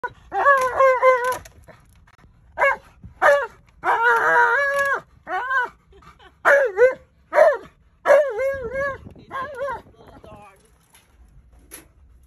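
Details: Male Alaskan malamute going crazy on seeing a small dog; a burst of howling, yodeling whines with wavering pitch, some short and some long and drawn-out, in quick succession.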